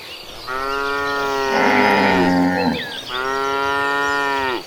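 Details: Cattle herd on green pastures: two long, loud, steady moos, each lasting about two seconds with a brief break between, over faint background chirps.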